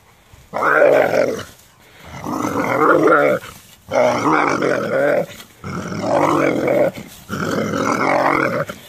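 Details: Doberman that dislikes a rake, voicing five long, raspy, roaring growl-barks, each about a second long, with short silent gaps between them. The sound is loud and steady throughout.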